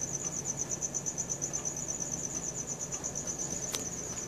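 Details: A cricket trilling after dark, filmed on a Samsung Galaxy S4; high, thin chirps pulse evenly and nonstop, one sharp click near the end, faint low hum beneath.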